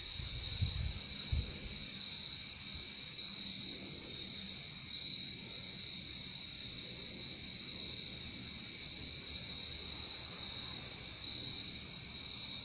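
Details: Crickets trill without pause in a high, even, pulsing drone; a couple of dull low knocks sound near the start, otherwise only faint low background noise.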